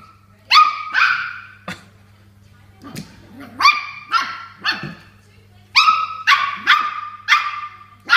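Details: A displeased Toy Poodle battling a water bottle: bursts of high, sharp barks, some doubled, with a quieter gap midway holding soft low sounds, over a constant faint hum.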